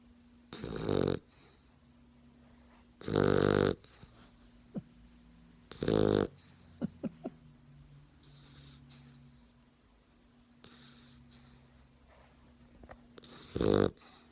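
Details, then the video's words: Sleeping puppy snoring, with loud rasping breaths every three seconds or so, quieter sniffs and snuffles in between, and a steady low hum in the room. "Puppy snoring"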